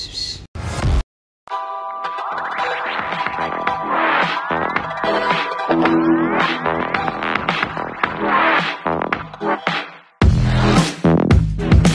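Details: Loud electronic music with scratching effects and short silent breaks, with no animal voice.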